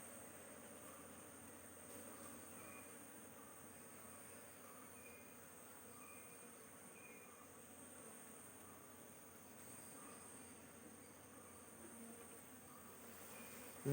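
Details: Hive of honey bees droning continuously as a beekeeper prepares to destroy surplus queen cells; an even low hum throughout, with scattered faint high chirps from birds in the background.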